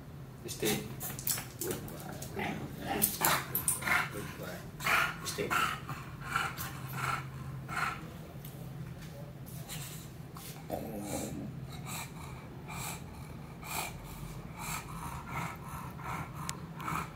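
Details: An English Bulldog puppy named Meatloaf, described as naughty and stubborn, gives short, throaty grunts and growls over a person's speech.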